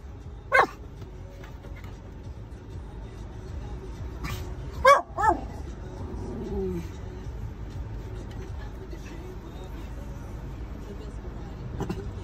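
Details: Miniature Schnauzer barking as a guard dog in summer 2022: three sharp barks, one near the start and a close pair around five seconds, then a soft whine, over quiet background hiss.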